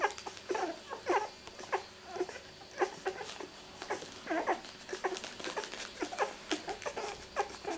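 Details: Newborn-stage miniature Labradoodle puppies, two weeks old, born 31 July 2009 to Rosie, whimper and squeak in scattered short cries, some louder peaks among softer ones, indoors.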